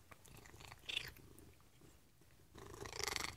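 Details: A female pet Maine Coon cat gives brief, high chirps between noisy bouts of chewing on treats while being hand-fed.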